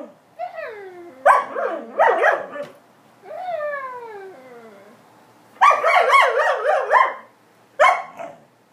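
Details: Owners converse with their pet Alaskan Malamute, which answers with rising-falling whines, choppy warbled yowls and a long sliding moan, ending in a sharp wavering howl-like outburst.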